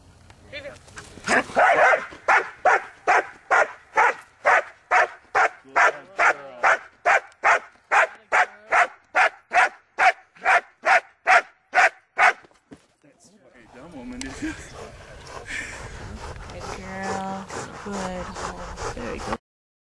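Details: German Shepherd dog doing hold-and-bark Schutzhund training: a long run of about twenty-five loud, evenly spaced barks, roughly two per second, over twelve seconds, then a brief pause and muffled handling noise and movement.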